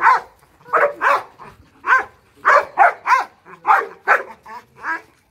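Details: Trained Boerboel or Rottweiler guard dog kept for home protection, barking in a steady run of about a dozen deep, rough barks, roughly two per second, some doubled, with no other sounds.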